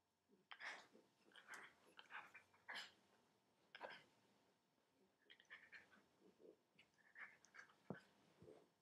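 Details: Schnoodles, a dachshund puppy, wiggles on a couch indoors, making short huffing snorts and soft grunts in irregular bursts every second or so, with small rustling and chewing-like noises between them.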